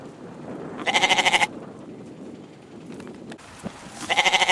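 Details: Two tremulous goat bleats, each a rapidly pulsing, wavering cry of about half a second, separated by a few seconds of quiet farmyard background noise.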